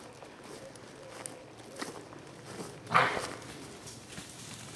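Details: A fallow deer (Dama dama) gives a single short, gruff bark against a quiet outdoor background, July 2015.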